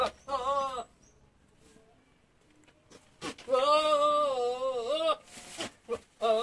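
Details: Javanese goat, young and in heat, gives long quivering bleats with a strongly wavering, crying tone, one short then one sustained for nearly two seconds, followed by brief calls, indoors-sounding.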